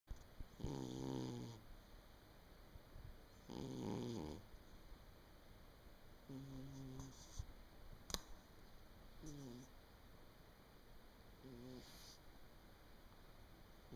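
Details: Domestic cat sound asleep indoors on 23 December 2017, snoring in low, raspy, harmonic breaths roughly every three seconds, each lasting about a second, with a faint room hiss and one brief click between breaths.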